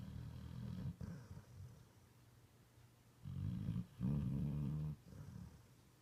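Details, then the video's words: Puppy asleep snoring like a person, low guttural rasping breaths in several bursts, the last one loud and sustained for about a second, with quiet pauses between. "The Puppy That Snores Like a Human!"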